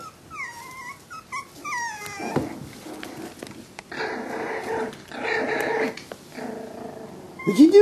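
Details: Five-week-old Jack Russell Terrier puppies play with their father Riley indoors: a run of high, squeaky falling whines opens, followed by rough, rasping growl bursts in the middle, ending in a sharp yelp.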